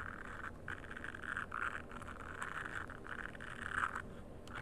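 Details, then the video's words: A frog gives harsh, buzzy mid-pitched calls in short back-to-back bursts, some longer and grating, set against a constant low background rumble. "Frog Nature Sounds"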